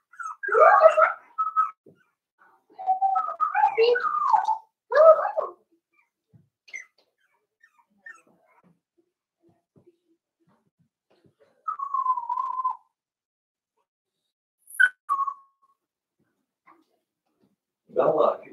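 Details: Cavalier King Charles Spaniel puppies, four weeks old, penned with their mother Daisy, make bursts of muffled whining and squealing, then a lone thin whine after a quiet stretch, with a few short squeaks between.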